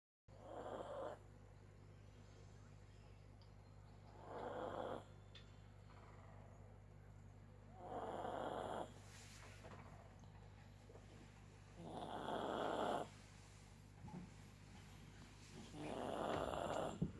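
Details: Sleeping dog snoring indoors: slow, broad rasping breaths swelling and fading about every four seconds, each lasting around a second, over a steady low hum.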